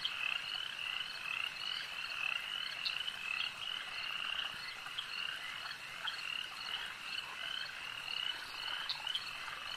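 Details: Many frogs calling together at a lake: a dense, steady chorus of overlapping high, chirping croaks, with brighter notes standing out roughly every two seconds over a constant background hum of callers.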